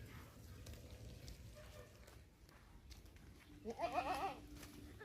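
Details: Young goat kid learning to eat grass; one short wavering bleat near the end, over low rumbling background noise.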